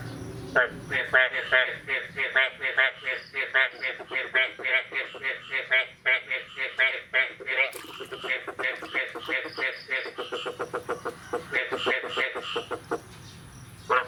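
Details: Frog chorus on the morning of 9 May 2022, just after the first rain of the year. Loud, rapid, nasal quacking pulses repeat several times a second almost without a break, with higher squeaky notes mixed in.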